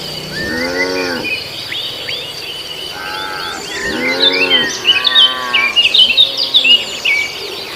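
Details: Beef cattle raised for sacrifice, grazing on green grass. Four short, hoarse moos, then a pair of softer, lower ones, come at irregular gaps. Steady chirping and twittering from birds and insects runs throughout.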